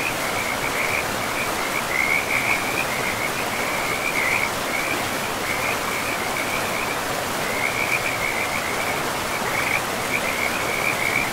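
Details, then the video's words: Frogs by a river in a pristine, moss-covered forest, giving a steady chorus of high, rapid trilled calls in short bursts nearly without pause, over a constant broadband rush of flowing water. "River and Frogs sleep sounds"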